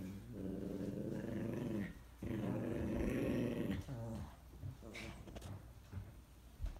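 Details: Small dogs, a Morkie and a Yorkie, indoors: low rumbling growls with rapid pulsing run nearly continuously, briefly interrupted around two seconds, then break into shorter, uneven growly bursts with a few higher yips near the end.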